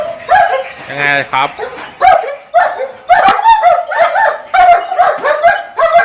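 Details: Female German Shepherd Rachel, kept at a kennel in Ayutthaya, Thailand, barks and yips in rapid irregular bursts, with one drawn-out whining cry near the start.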